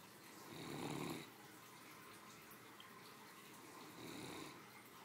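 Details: A three-year-old female Great Dane, a pampered family pet, snores comfortably after her midday meal: two low, breathy rumbling snores a few seconds apart in a quiet indoor room.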